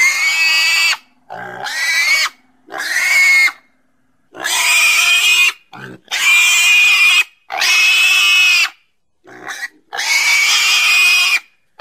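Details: Pig screaming in sustained, piercing squeals about a second long, repeated with short breaks; the tone is high, steady and ringing, with a few shorter grunting cries between.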